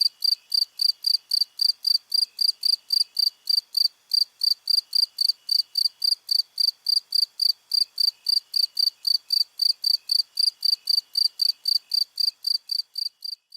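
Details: Long run of cricket song made of crisp, high pulsed chirps at a regular beat of about four per second, unbroken throughout and free of other noise.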